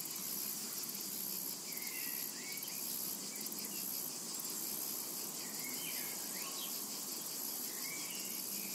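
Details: A summer meadow full of cicadas producing an even, piercing electric buzz, accompanied by occasional quick, quiet bird chirps and short whistles.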